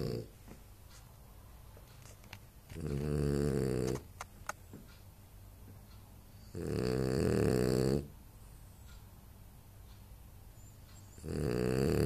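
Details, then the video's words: French Bulldog Anton Speck asleep and snoring: long, rattling, low snores about four seconds apart, each lasting over a second, with quiet breathing pauses between them. "Französische Bulldogge Anton Speck schnarcht"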